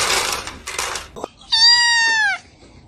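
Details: Domestic cat giving a single drawn-out meow lasting nearly a second, bright and harmonic, holding steady then sliding slightly downward at the end, after a burst of broadband rustling noise and a sharp click.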